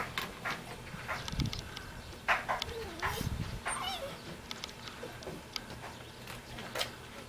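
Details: Korean Jindo puppy in Jeonju, wagging its tail and calling to get someone to play; a few soft, sliding whines and faint short yelps scattered through the clip, with low rumbling background sound.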